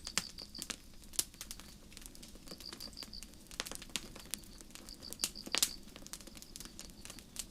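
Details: Crickets chirping on a starry night in a forest: high, thin pulsed trills in short bursts of several beats, repeated through the clip, under the sharp pops and crackle of a nearby campfire.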